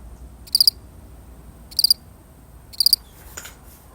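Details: Three bright, pulsed chirps from one lone cricket, spaced a little over a second apart, each a fast triple click, followed by a dull knock near the end.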